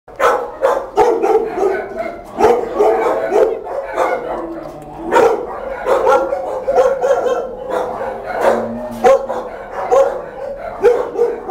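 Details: Mother dog with her pups: rapid, loud barks and yips in quick bursts, overlapping and repeated without pause throughout.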